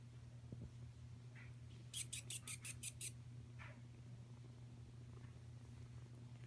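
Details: Five-week-old Savannah cat kitten named Kuda, with a continuous deep purr throughout. Around the middle a short burst of rapid, sharp clicks breaks in, and a couple of soft higher squeaks follow.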